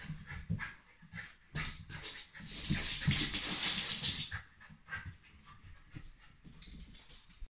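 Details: Cheerful Shiba Inu breathing hard in a small room: rapid hissing pants, about several per second, with a longer louder rush of breathy noise in the middle before the puffs quieten and spread out.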